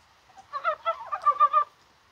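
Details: Mountain brown frog calling on a rainy, spring-like January 21 day: one burst of about six quick clucking, nasal pulses lasting just over a second, rising slightly in strength toward the end, over a quiet background.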